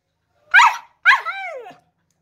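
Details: Siberian husky howling or 'singing': two short yelping howls, the first brief and bright, the second longer with a falling, wavering tail, both rich in harmonics and clear against silence.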